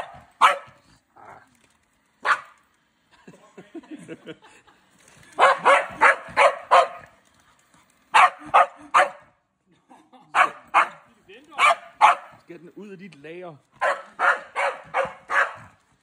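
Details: A Scottish Terrier confronts a EUFY robot vacuum, giving repeated sharp barks in rapid runs of three to five, separated by brief gaps, with a human voice speaking in between.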